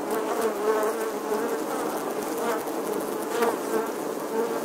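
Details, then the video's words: A bee colony in an ancient English church's stone wall, summer 2020; thick, even buzzing of many bees with short louder passes of single fliers. "Bee Hive, Bees Captivating Footage from an Old English Church Wall. Bee Sounds"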